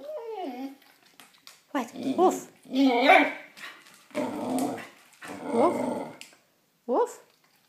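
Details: Male Shikoku dog talking at lower volume: a series of rough, grumbling moans broken by sliding upward yips, with about six separate bursts and short gaps of quiet between them.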